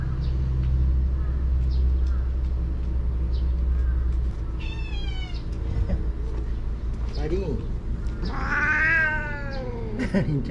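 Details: Karin, a fierce stray cat in a Japanese park, growls threateningly after being made to leave the waiting room at six o'clock; a harmonic wavering yowl swells near the end over a woman's voice and steady low engine hum.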